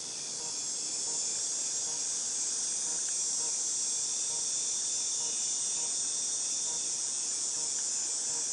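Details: Cicadas recorded in August 2018 give a steady, unbroken high-pitched hiss, a dense shrill buzz that holds level throughout with no pauses and little else heard beneath it.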